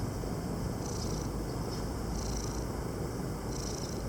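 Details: Male cat on Krk, Croatia, purring while relaxing in the shade: a continuous low rumbling purr beneath high hissing bursts that recur roughly every one and a half seconds.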